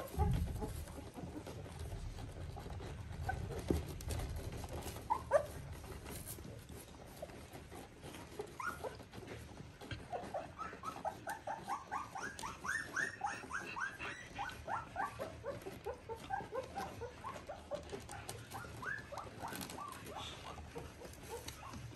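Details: Border Collie puppies, three weeks old, from a litter of Ori and Cru: after a quiet, rumbling opening, a long run of thin, high squeaky whimpers, several per second, builds from about eight seconds and fades near the end.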